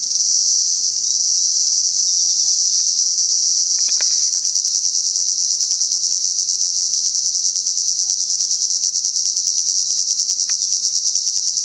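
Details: Cicadas in Salta: a loud, steady, high-pitched electric buzz that holds without a break for the whole stretch, with a few faint clicks underneath.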